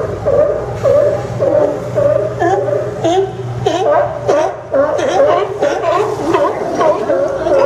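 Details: Crowded sea lion chorus at the Port of Newport docks on Yaquina Bay, Oregon, September 20, 2015: loud, rough barks pile over one another nonstop, some short and clipped, others drawn out, with a steady low rumble beneath.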